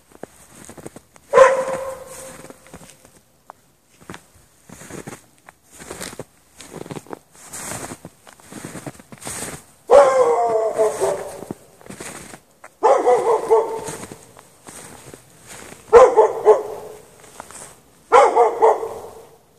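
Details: Dog kept chained in the snow at night with no shelter barks in repeated bouts; many short, softer sounds like footsteps or knocks fall between the louder barks.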